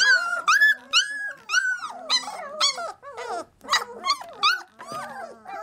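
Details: Several 3-week-old Labrador Retriever puppies in a box make a chorus of high, overlapping squeals and whines. The cries bend up and down in pitch and come in quick bursts about twice a second, with brief pauses between them.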